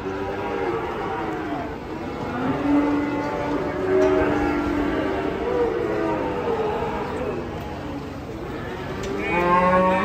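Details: Sacrificial cattle, frightened and agitated, coming down from a truck on a Saturday; several wavering, drawn-out moos rise and fall across the clip, with a fresh bellow near the end, amid people's voices and background music.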